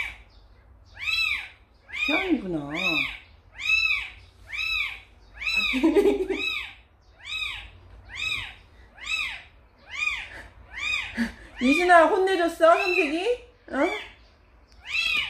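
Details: A kitten brought to a house by Samsaek, a three-colored mother cat, keeps up a run of high arched meows about once a second while a person talks over it in several short bursts.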